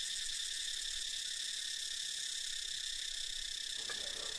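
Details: Tosena albata among mixed cicada species: a softer, sustained high-pitched hiss-like buzz with faint regular pulsing, continuous from start to end.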